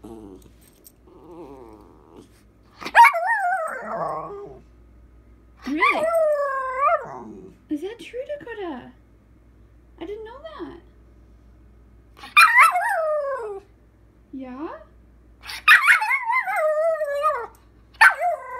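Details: Female puppy talking back to her owner indoors, giving drawn-out whiny howls and yodel-like vocal phrases that rise and fall, in bursts separated by pauses, with the owner's voice and soft music in between.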